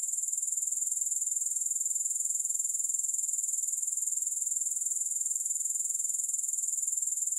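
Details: Grasshoppers chirping with no music, a continuous high shrill trill pulsing rapidly and evenly, about two pulses per second, steady throughout with nothing else audible.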